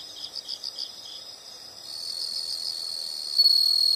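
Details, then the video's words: Insects at night-free nature ambience: a quick run of high, pulsed chirps opens, then a steady, shrill buzzing drone swells and holds to the end. "the sound of insects"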